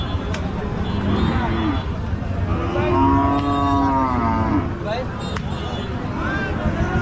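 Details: Cow at a popular village cattle market gives a long, rich, harmonic moo lasting about two seconds, swelling then fading, with shorter moos before and after and crowd chatter underneath.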